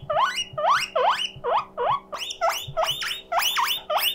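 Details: Lonely pet guinea pig calling loudly, a siren of sharply rising, whistled wheeks, each one upswept and squeaky, repeated about twice per second in close succession, with a low steady hum in the room.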